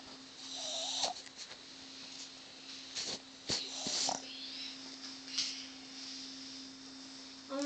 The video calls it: Wally the Boston Terrier snoring loudly!